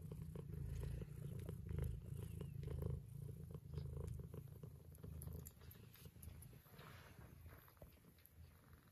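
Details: Indoors, a nursing mother cat purrs while her kittens, Scottish straight and lop-eared, drink her milk. A rich low vibrating purr is steady for nine seconds, with light lip-smacking clicks scattered over it.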